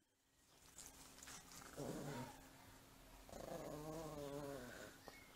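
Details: Two Miniature Pinschers, Chipso and Paris, having fun at play: a short, throaty growl near two seconds, then a longer wavering, buzzy growl lasting almost two seconds, over a faint steady hum.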